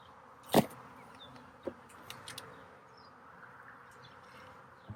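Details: Buzzing of honey bees at a split hive during re-queening, after the newly uncaged queen flew off; a low continuous drone is broken by several sharp knocks and clicks of hive handling.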